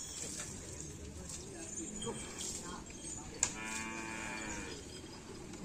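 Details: Karapan sapi bulls training at Lap Asemanis before a race event. A moderate, steady harmonic moo lasting about a second sounds in the latter half, over a constant crowd-and-field background with a sharp knock just before it.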